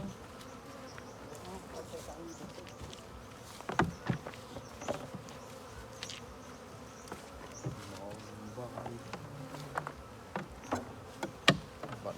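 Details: Honey bees at the hive while fresh golden honey is harvested: a steady low droning buzz fills the recording, broken by scattered sharp clicks and knocks, with faint voices in the background.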